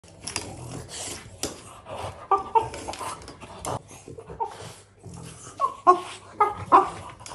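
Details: A French Bulldog puppy playing with grill tongs gives short, squeaky, chattering yelps in bursts, described as monkey-like noises, with a person speaking nearby.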